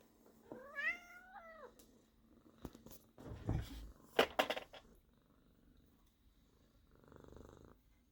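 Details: An indoor sacred Birman cat meows to beg for food because the snack bowls are empty. One clear, drawn-out, wavering meow rises and then falls, followed by thumps, rustling and handling noises in a small room.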